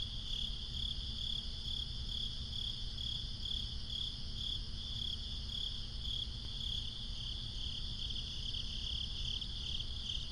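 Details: Crickets in a swamp trill steadily at night in a high, shimmering chorus over a low background rumble.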